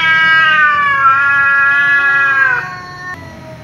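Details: Tom cat, angry, meowing loudly at a ginger cat that keeps meowing; one long, loud, slowly falling wail ending abruptly, then a short softer meow, with a faint low hum.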